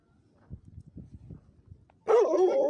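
A livestock guardian dog gives one loud, rough bark after a stretch of soft low rumbling.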